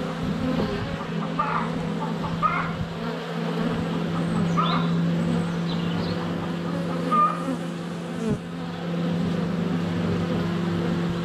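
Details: Honey bees swarming around a hive entrance on a sunny February day, captured by a GoPro Hero 7 Black under a foot away; continuous low buzzing hum with brief clicks and faint bird chirps above.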